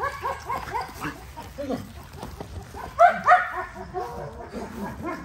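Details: XL American Bully dog during daily exercise, giving a run of short, harmonic, whining yelps that bend up and down, some overlapping, with a louder pair near the middle; faint background noise.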